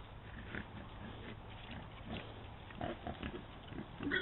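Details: Wild boars feeding on the carcass of a dead red deer stag, giving low, rough grunts amid snuffling and crunching noises.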